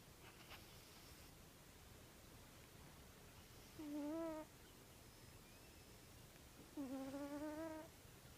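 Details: A male Egyptian Mau cat snores with soft, tonal, slightly whistling breaths about three seconds apart.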